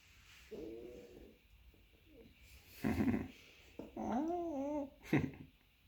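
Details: Smooth-haired chocolate-and-tan male miniature dachshund puppy, ten weeks old, making funny noises while eating a hamburger indoors: a short whine, then a longer wavering whine that rises and falls, with chewing thuds and a man praising him.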